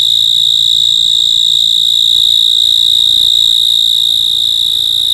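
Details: Shrill insect trill heard at night, continuous and high-pitched with a very fast, even pulse and no breaks, over a faint low background hum.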